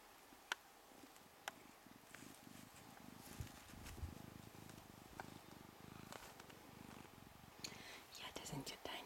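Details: Two-week-old Ragdoll kittens purring indoors, a steady low rumbling pulse running throughout, with a few sharp clicks and soft handling noises.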